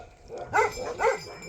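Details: Bhote Kukur, a Nepali dog, in Nepal, giving two short harmonic barks about half a second apart over a quiet background.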